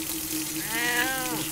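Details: Butch, a 20-year-old pet cat, complains while being readied for a bath on July 5, 2012: a single drawn-out, wavering meow rising then falling in the second half, over running water and a steady low hum.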